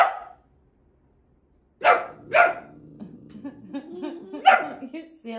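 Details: Pet boxer dog, male, barking while playing: two close barks, then a third later, overlapping an owner's voice talking beneath.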